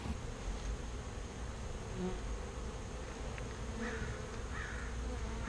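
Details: A swarm of bees being relocated from a birdhouse to a bee box makes a dense, deep, unbroken buzzing roar, heavy in the low range, with faint scraping of equipment.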